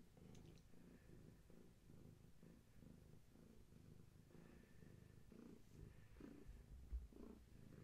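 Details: Bedtime purring by Gaia, a long-haired tabby carrying many kittens and growing impatient with disturbance; a regular throbbing low purr pulsing about once a second, with a small knock near the end.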